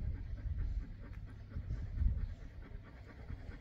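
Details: Boerboel, a South African Mastiff, one of a pair living in Egypt, panting with soft, rhythmic breath bursts over a heavy low rumble; breathing stays steady and close throughout, with no other voices.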